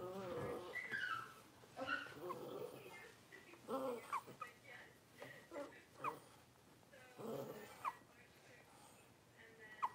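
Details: A litter of five blenheim Cavalier King Charles Spaniel puppies, born at New Year's, settling into their new big pen at home. High, thin whimpers and rising squeaks repeat every second or two over soft rustling and faint voices.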